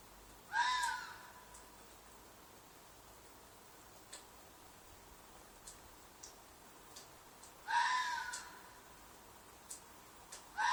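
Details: Loud night-time red fox cries from a field behind an apartment, a shriek or mating call: harsh, rasping screams about seven seconds apart, each short and slightly downward-sliding, a third just beginning at the end, with faint clicks between.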